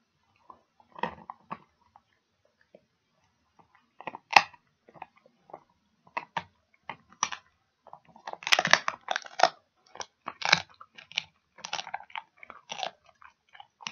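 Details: A dog chews a pig ear in irregular bursts of wet, crackling crunches and clicks, sparse at first, then denser and louder in the second half, with short quiet gaps between bites.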